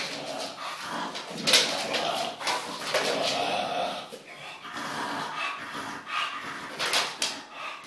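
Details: English Bulldog. An English bulldog makes a string of short, rough grunts, snorts and thin whimpers, each burst lasting under a second. A person's voice breaks in at times in what sounds like a small room.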